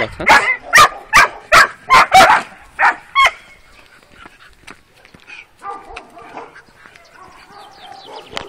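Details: Working Kuvasz puppies, 12 weeks old, on a first street walk: six or seven fast, rough barks in quick succession, a high yelp, then quieter background sounds with faint voices.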